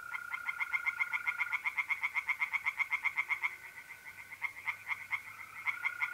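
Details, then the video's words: Tree frogs singing at night in a pond in mid-April, North-East Italy: rapid, regular croaking pulses, about four per second, with a steady high trill of mole crickets running beneath and briefly dropping out. "relaxing singing tree frogs in pond and trilling mole crickets by night"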